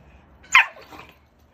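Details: Aggressive Jindo rescue dog known for biting, being transported from a shelter in Ulsan, gives a single short, harsh bark followed by a fainter trailing yelp over low background noise.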